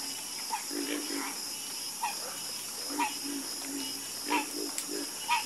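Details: Frogs in a night chorus, paired low croaks with brighter buzzy peaks recurring about once a second, fairly regular, over constant high-pitched background hiss.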